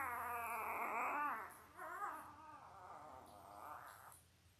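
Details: Newborn Labrador Retriever puppies, five days old, five males and three females born October 15, 2023, on a live puppy cam: continuous wavering high-pitched cries rising and falling, with a brief dip in the middle before the crying fades out.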